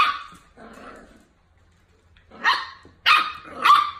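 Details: Miniature Dachshund barking indoors: a sharp bark, a softer gruff one, a quiet pause, then three loud, rough barks in quick succession near the end, with faint low hum underneath.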